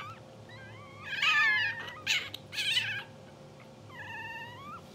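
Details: Blue sable English Bulldog newborns, two hours old and sleeping, make a thin rising squeak, a loud cluster of squeals, then one long steady whine near the end, with a low background hum.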